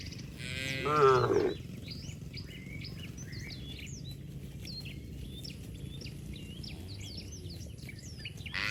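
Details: Cattle leaping about in mud outdoors: one short, loud moo in the first second and a half, then lively chirping and twittering from birds.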